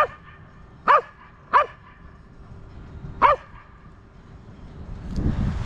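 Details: A corgi on a university campus at the six o'clock evening chimes on Saturday, 3 October 2020, gives three short, sharp barks with a falling tail over faint sustained bell tones.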